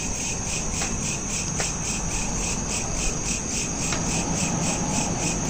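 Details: Crickets chirping at night, recorded on a smartphone: a steady, fast, high pulsed trill repeating about four times per second, with a low background hiss and a few faint clicks.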